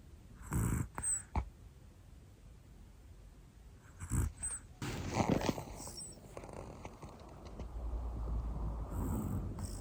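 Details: Sleeping female Pomeranian Hana-chan, black and one year old, gives breathy snores: paired puffs near the start and again around four seconds, then a longer, rougher rasping exhale, with low steady room noise throughout.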